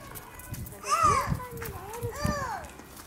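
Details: A White-handed (lar) gibbon from a family group at Hamura zoo gives tonal hooting notes that swoop up and down in pitch.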